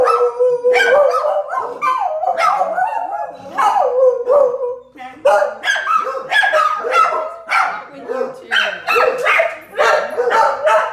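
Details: Pair of dogs reacting to a passing street sweeper: overlapping, sustained yowling howls that break into choppy, barking bursts toward the end.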